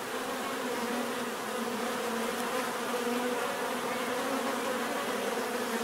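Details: Many bees hum together in a steady, dense drone, with a low tone near 250 and 500 and a broad hiss above, unbroken for six seconds with no other clear sounds.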